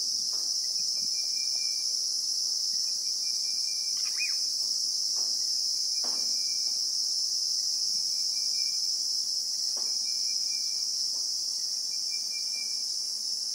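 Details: Christmas beetle (Anoplognathus) in South African acacia bushveld, recorded in real time: an unbroken, shrill high-pitched drone holds steady throughout, while faint thin whistled notes repeat in the background alongside scattered soft clicks and taps.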